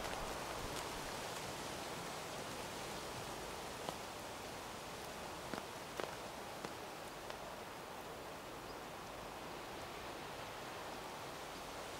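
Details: Steady outdoor hiss with rustling leaves and a few faint snaps and twig cracks, but no animal voice.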